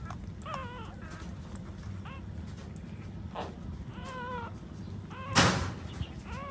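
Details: Short, high, falling whimpers come in scattered bursts from puppies suckling their standing mother dog. A loud thump sounds near the end.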